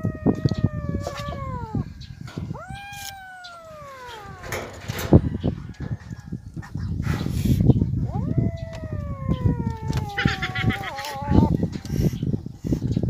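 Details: Starving abandoned kittens crying loudly. Repeated long meows, each rising quickly and then falling steadily, some with a wavering end, over heavy low rumbling and handling noise.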